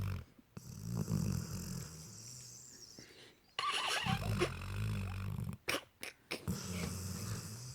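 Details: Sleeping Labrador Retriever puppy snoring: low rumbling breaths in uneven bursts, with a sharper, noisier snort mid-clip and a few brief clicks or bumps near the end.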